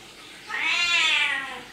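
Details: Domestic cat giving a single drawn-out meow, smooth and nasal with rich harmonics, swelling and then fading over about a second in a quiet indoor setting.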